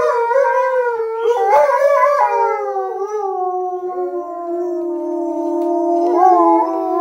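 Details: Dotty, Sojou and Fish, Alaskan Malamutes, howling together in response to a sound from a hollow foam pipe; a steady drawn-out tone holds underneath while a higher voice slides and bends over it.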